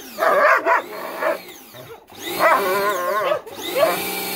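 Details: German Shepherd Bubu biting at a hose jet. Wavering, throaty growl-barks rise and fall in pitch, broken by brief gaps, while loud spraying hiss and a mechanical whine fill the background.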